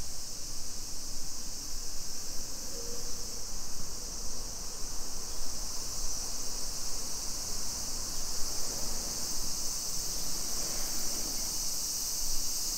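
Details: Cicadas singing on a July 2021 summer afternoon, 2 PM, along suburban streets of Nisshin near Nagoya, Japan; a constant high buzzing wash holds steady throughout, with low background rumble and occasional faint thin notes.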